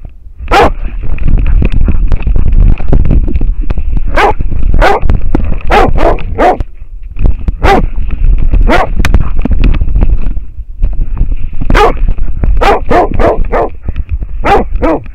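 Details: Bark after bark from an American Foxhound bayed up on a wild boar, recorded by a camera worn on the dog; sharp barks in uneven bursts, sometimes three or four in quick succession, over heavy low rumble and a constant electronic whine.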